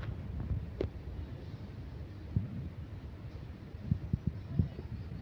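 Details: Outdoors at a rural cattle market, a low wind rumble buffets the microphone, broken by a few soft thumps and knocks, with no clear animal call.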